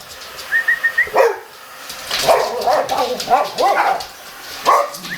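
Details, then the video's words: Boxer dogs reacting to a vacuum cleaner, starting with a thin high whine, then a burst of excited, clustered barks and yips in the middle, ending with a single loud bark over faint background noise. "Boxer Dogs Vs Vacuum Cleaner!"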